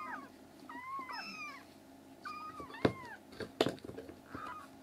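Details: Three black rescued kitten siblings in foster care, now healthy enough to cry loudly and wander the room. High, rising-then-falling meows come in quick succession, mixed with a few sharp knocks and thumps indoors.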